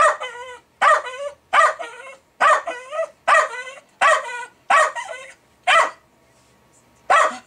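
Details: Milo, a pet Jack Russell Terrier, going crazy over fermenting beer: loud, harmonic-rich barks repeated roughly every three-quarters of a second, each with a short whining tail, ending after a brief gap with one more bark.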